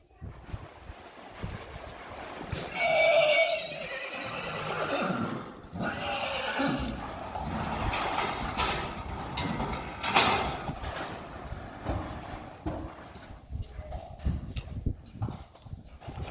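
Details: Friesian mares and foals let out to grass after Saturday training, in perfect weather: one loud, shrill whinny lasting about two seconds that slides downward and fades, followed by clip-clopping hooves, rustling and movement of the herd.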